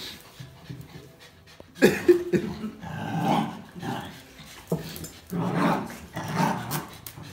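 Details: A Jack Russell Terrier and two Border Collies, one black-and-white and one red-and-white, tug at a towel, giving short, rough growling bursts roughly once a second after a quiet start, mixed with panting and rustling.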